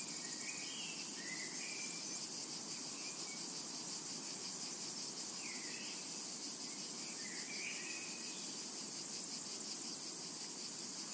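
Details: Constant high, sizzling cicada drone over a summer meadow, with short slurred bird whistles repeating every second or so through the middle of the recording.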